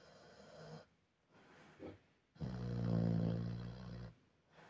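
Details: A Vietnamese pig snores with rough, rasping breaths, followed by a longer, louder guttural snort-grunt of about one and a half seconds, then quieter breathing.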